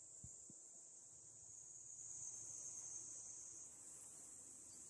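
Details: Summer cicadas at a park overlooking a dam in rural Japan near Tokyo, giving a steady, high, hissing drone that holds level throughout, with two faint low knocks at the start.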